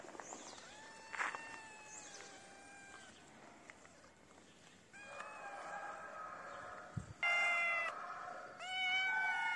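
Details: Feral kitten crying for food outdoors in the cold: a few drawn-out, slightly falling meows, a couple of short ones early on and louder, longer cries toward the end, with a background hiss.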